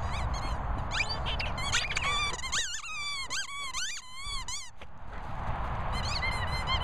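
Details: Rottweilers having fun give high, bending whines and squeaky yips in quick, uneven bursts.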